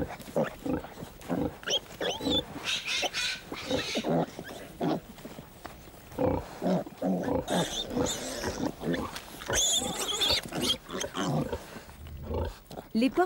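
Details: At suckling time, a sow lies on her side as her roughly 15-day-old piglets rush to nurse. Rough grunts mix with shrill piglet squeals and squeaks, while a narrator speaks in French over them.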